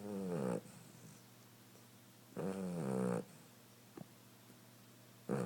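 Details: Cinder, a sleeping female cat, snores loudly. Three harmonic, buzzy rasps of about half a second to a second each are separated by quiet pauses of nearly two seconds, with a faint click between them.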